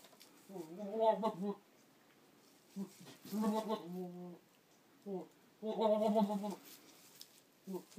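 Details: Boer buck talking to his goats, 22 October 2013: wavering harmonic bleats and grunting calls in irregular bursts, several longer quavering calls with short low grunts between.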